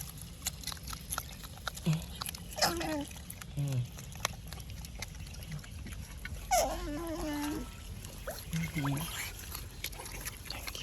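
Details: Otter giving low, wavering, humming whines, with pitch bending down then holding steady. Short calls come at about two, four, seven and nine seconds, the longest near seven seconds. Faint trickling water and background noise run throughout.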